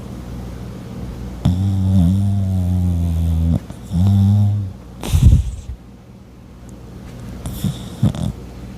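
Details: French bulldog asleep, snoring in two long low rumbling breaths with steady harmonic bands, followed by a few short snorts and sniffs between quieter pauses.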